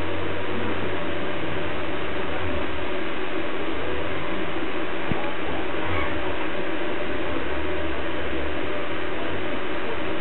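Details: Dense, muffled broadband noise with a low hum persists throughout, without any clear animal voice.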